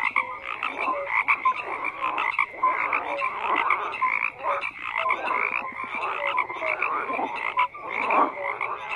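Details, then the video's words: Frogs croaking in a dense chorus, overlapping calls pulsing between low and bright tones, short whistled upslurs scattered through, steady without pauses. "FROGS CROAKING"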